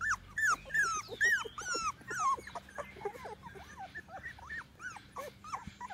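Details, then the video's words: Litter of 21-day-old chocolate Labrador Retriever puppies in Seville, Spain, recorded 21 January 2018; several pups give clear high arched whines and yelps, rising then falling, tumbling over one another in quick succession. "CACHORROS LABRADOR CHOCOLATE"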